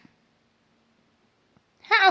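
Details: Domestic cat grooming itself indoors: near silence with a faint tick, then one short, loud, harmonic meow that rises and bends at the very end.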